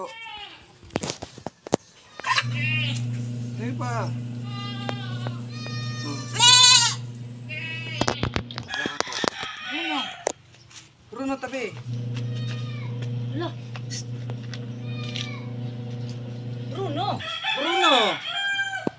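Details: Kid goats getting B-complex shots bleat in short, broken, tremulous calls scattered among human voices, background music and clattering noises.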